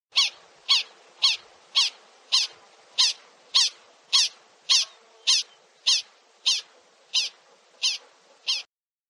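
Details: Prairie dog on a prairie gives a steady series of fifteen sharp, high chirps, each quick and bright, repeated almost twice per second with near-silent gaps and no other sounds.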